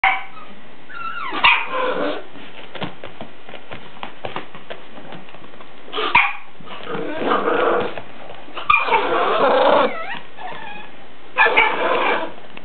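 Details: Bull Terrier in Tokyo, with bursts of rough, noisy barking in four separated clusters over about twelve seconds, each lasting one to two seconds, against steady background hiss.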